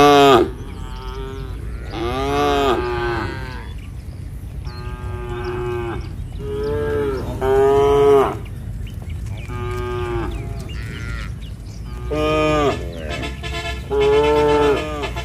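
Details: Herd of tame cows strolling a country road back to their barn alongside the herder, about eight drawn-out moos in quick succession, some low and steady, others rising and sliding, overlapping callers with soft road noise beneath.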